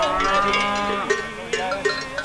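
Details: Cattle herded by farmers along the roads of the Bedoya valley in 1988; a drawn-out, harmonic lowing moo that bends in pitch, with cowbells clanking throughout and short sharp knocks.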